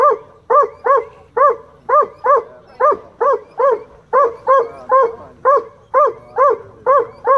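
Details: A rescued black and tan coonhound named Boo barks shrilly at fish at a county dog park before diving after them; a rapid, insistent run of over twenty ringing barks, often paired, continues without a break.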